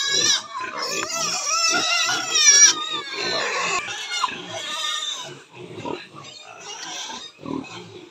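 Large White Yorkshire piglets squeal in shrill, wavering bursts, with human voices possibly mixed in.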